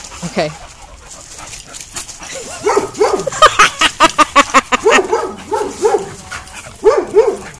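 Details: Several dogs at play, a schnauzer and a dachshund among them: rapid series of short harmonic barks and yips, some overlapping, nearly continuous through the middle with brief pauses, plus scuffling and a faint human voice.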